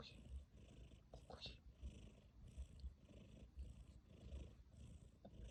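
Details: Tabby cat purring and snoring in its sleep; a low continuous rumble pulsing with each breath, with a person speaking softly.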